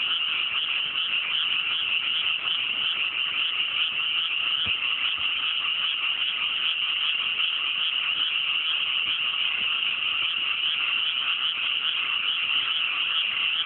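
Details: Dense, unbroken chorus of many frogs calling on a fine, cool night in mountain rice paddies just after rice planting in the countryside; a thick, steady wall of rattling croaks with no pauses and no other clear sounds.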